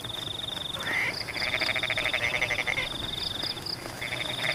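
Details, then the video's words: Rice-field frogs during rain: a brief rising croak leads into a long, evenly pulsed rattling call of about two seconds, another burst starting near the end, over a constant shrill insect trill. "The sound of rain water in Pematang rice fields is in tune with the sound of frogs"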